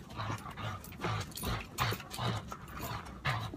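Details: Rapid rhythmic panting from Indigo, a dog being trained out of aggression toward other dogs, with breaths coming about twice a second, slightly uneven, over background rustle.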